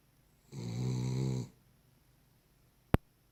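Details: A Cavalier King Charles Spaniel snores in its sleep, one steady, low, buzzing inhalation lasting about a second, followed by a sharp click.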